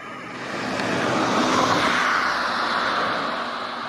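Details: Worker western honey bees foraging for nectar and pollen on English lavender in a sunny roadside garden in Japan, mid-July afternoon; a broad, steady buzz swells and fades over a few seconds as a bee passes close.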